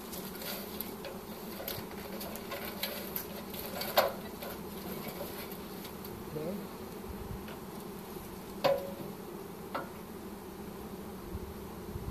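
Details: Honey bees in a swarm during capture with a pole bucket, March 25, 2015; continuous low buzzing hum of many insects, broken by occasional sharp knocks and taps from handling.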